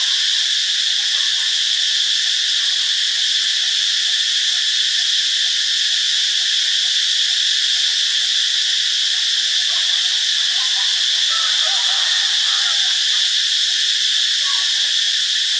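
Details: Continuous shrill cicada drone from Ubon Ratchathani, Thailand, on Monday, March 15. The dense high buzz holds level for the whole stretch, with a few faint softer chirping notes mixed in partway through.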